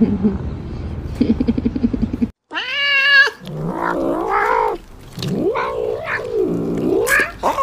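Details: Domestic cat giving a steady harmonic meow, then wavering, bending yowls that swoop up and down in pitch, over a noisy background with rapid rhythmic clatter at the start.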